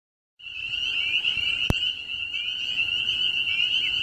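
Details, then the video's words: Eerie frog chorus that fascinates the dog Bijou: after a brief silence, a dense, continuous high trilling band of many overlapping callers starts up, with one sharp click midway. "my dog Bijou is fascinated by the eerie sounds of frogs"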